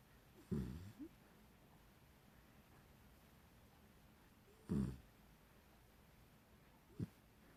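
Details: Rocket, a Beagle puppy, snoring while sleeping and dreaming: three short, low, throaty snores, the first two close to five seconds apart and a brief softer one near the end, with a quiet room between them.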